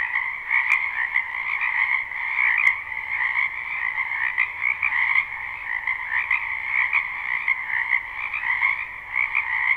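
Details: Spring wetland frogs in a live recording with no looping: many voices merge into a continuous high trilling chorus over a lower buzzing band, swelling and fading in waves, with two sharp clicks early on.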